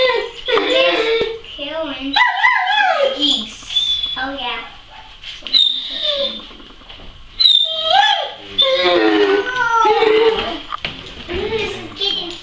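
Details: A Weimaraner whines in high, wavering, drawn-out tones, asking to go outside to bark at the neighbour's dogs through the fence while a person questions it.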